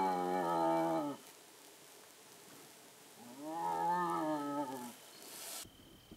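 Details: A young striped hyena calling at dusk after sunset, possibly calling its mother though this is uncertain, gives two drawn-out, moaning calls that rise and then fall in pitch; Striped hyena.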